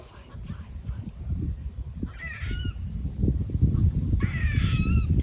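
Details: Two buzzy, harmonic squirrel barks, about two seconds apart, recorded on a walk beside a farm, with loud low-pitched wind rumble throughout.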